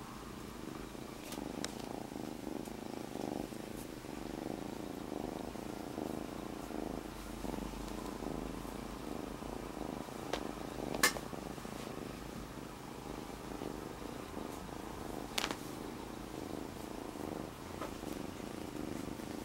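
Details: Kitten Monaka, just taken in as a rescue, purring on a human belly: a long, even, low rumble sustained throughout, interrupted only by a couple of sharp taps or rustles.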